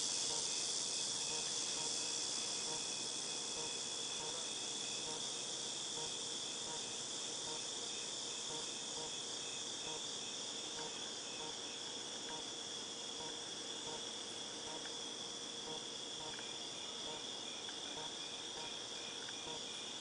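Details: Cicadas in August 2018 keep up a long, even, high-pitched buzzing drone, with a faint pulsing texture and no other clear sounds.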